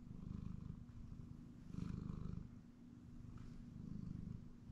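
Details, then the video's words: Hellion, a pet cat, purrs during a nap on a comfy chair in the house; a deep, continuous vibrating rumble rising and falling with each breath, calm and quiet throughout. "Cat Nap on the Comfy Chair - Purring"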